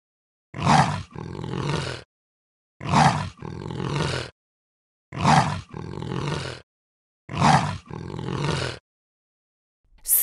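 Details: Snow leopard calling four times, about every two and a half seconds. Each call opens with a short, loud, harsh burst and slides into a lower, drawn-out groaning tail, with silence between calls.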